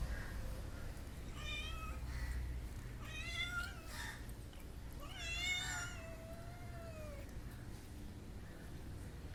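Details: Household pet cat making funny sounds: three drawn-out meows, the last longest and falling in pitch, with a few softer mews between, over a low background hum.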